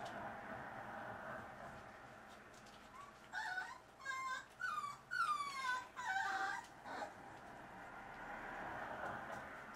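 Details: A dachshund puppy about four weeks old, from a litter of three, gives a run of high, falling whimpers and squeaky cries, several close together.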